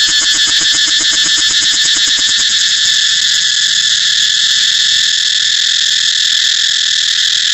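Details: Shrill cicada buzz, pulsing quickly and rhythmically during the first three seconds before evening out into a constant, piercing whine.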